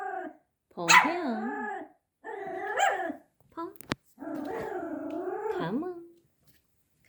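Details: A scared five-month-old Pomeranian puppy named Ponki faces a toy tiger. It makes yelping barks that slide into drawn-out, wavering whines and growly howls, with a sharp click in the middle and a few short bark bursts between the longer notes.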